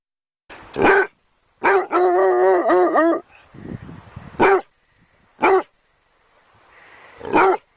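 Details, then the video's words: Dog mixing sharp barks with a long, wavering, high-pitched whine that rises and falls, followed by several more single barks. "SOUND OF DOG BAGGING BARKING DOG"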